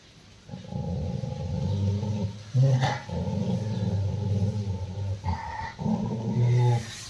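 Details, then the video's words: Angry Rottweiler Roxy, growling at its owner, gives deep continuous rumbling growls broken by brief gaps, with a sharper snarl burst near the middle and short louder pulses toward the end. "Anger of Rottweiler Roxy रॉक्सी ने अपने मालिक पर अटैक कर दिया"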